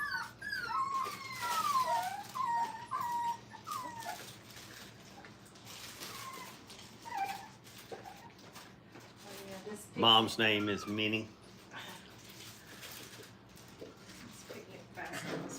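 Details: Five-week-old Brittany puppies playing at a training kennel, indoors in a small room: high, wavering whines and squeals rise and fall through the first seconds, then a burst of human speech with fainter puppy whimpers after.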